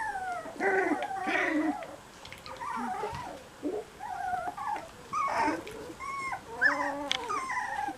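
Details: Cocker Spaniel puppies whimper and whine in high, wavering, overlapping cries while being cuddled.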